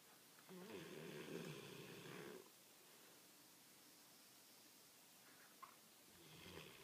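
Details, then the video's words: American Pit Bull Terrier asleep and snoring, a rough, droning snore of nearly two seconds, a quiet pause with a faint click, then the start of another snore at the end. "Sleeping (snoring) American Pit Bull Terrier."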